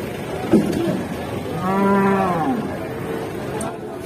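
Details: Enraged cow near Lebaran, agitated and bellowing: one long, low, harmonic moo held for about a second, rising slightly then falling away, with faint voices and background chatter around it.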